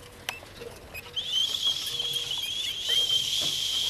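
A common marmoset gives a long, high, steady whistle, calling for its absent mate to return.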